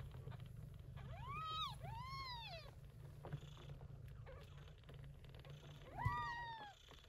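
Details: Short-haired Persian Chinchilla mother cat Yupi tending kittens born during an early-September typhoon; a steady low purr runs beneath three high, arching meows, two close together near the start and one later.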